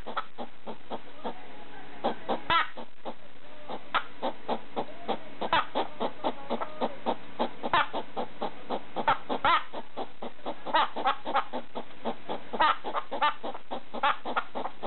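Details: Hedgehog kept as a pet, barking at a slipper late at night: a steady stream of short, sharp clicking puffs, some louder than others, over a faint, low steady hum.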